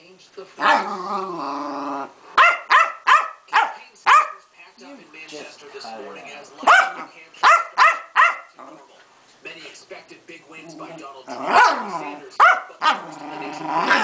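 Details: Female Keeshond having an angry tantrum, throwing a hissy fit: bursts of sharp, harmonic barks and yips, several in quick succession, pausing, then more rapid barks, with a woman talking to the dog between bursts.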